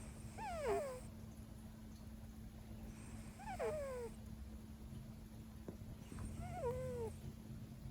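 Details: Male Siberian cat sleeping indoors during a five-hour nap after missing his noon meal; three thin squeaky descending whimper-like calls spaced about three seconds apart, over a steady low electrical hum.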